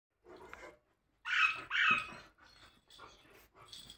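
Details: Labrador Retriever, an English Labrador kept as a family dog in India, indoors in a small room: two loud, sharp, yelping barks in quick succession near the middle, with softer short dog sounds before and after.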